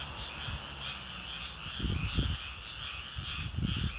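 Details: Frog calls form an unbroken pulsing trill, a rapid rhythmic chorus heard throughout, with a few soft low knocks and handling noises in the foreground.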